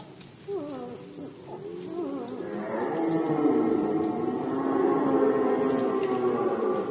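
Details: A red deer stag in the 2020 Polish rut gives a few short, falling, grunting moans, then swells into a long, sustained, hoarse roar rich in overtones. A rhythmic high-pitched ticking continues in the background.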